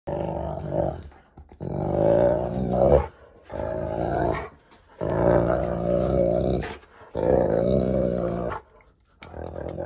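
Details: Cane Corso, a large pet dog, growling loudly while playing tug with a rope indoors, long rough rumbling growls lasting one to three seconds each, separated by short pauses.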